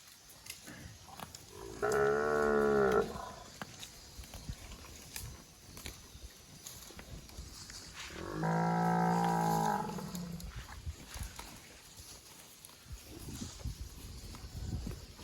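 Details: A plump cow eating grass in a thicket gives two drawn-out moos about six seconds apart, the second lower and rougher, between soft crunching of grass being eaten.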